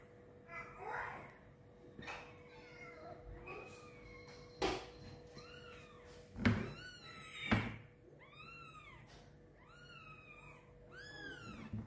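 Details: Indoors, a mother cat carries her newborn kitten for the first time; soft scattered sounds build into loud, high, arched mews in quick succession near the end, with thumps and a steady low hum.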